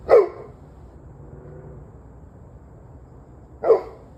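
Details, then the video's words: Dogs barking on 21 November 2023 at 7:06 pm: two sharp, single barks about three and a half seconds apart, separated by quiet low background hum. "26 Minutes of Barking Dogs"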